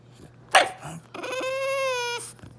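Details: Prince, a French Bulldog, fusses after his owner ate food without sharing, giving a short snort then a long, steady, high whine.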